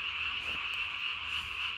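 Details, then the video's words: At night on 3 May 2020, a Japanese tree frog calls with its throat sac swollen to body size, giving an unbroken shrill, buzzing trill that wavers gently in loudness. "밤에 우는 청개구리 울음판이 몸통 만큼 크네요?"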